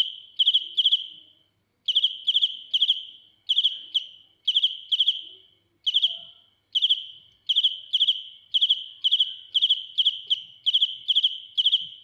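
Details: Shrill cricket (dế mèn) song at close range: clusters of two to four pulsed high chirps separated by short silences, then a denser, steadier run of chirps toward the end.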